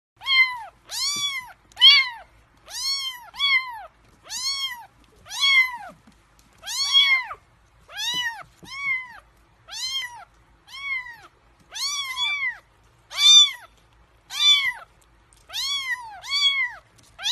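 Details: Three-week-old kittens, hungry before feeding, meowing over and over in high, arched cries with rich harmonics, several overlapping, nearly one per second across the stretch, little else heard.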